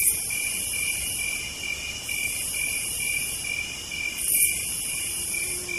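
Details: Cicadas on a southern night, a dense shrill drone of steady trills topped by a hissing buzz that pauses briefly and resumes, plus a soft low hum underneath.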